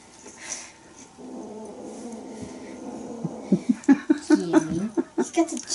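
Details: Bengal kittens romping together during teaser play indoors; a quick run of about ten short, low chirping calls over two seconds, with a man talking nearby and faint jingle-ball rattles.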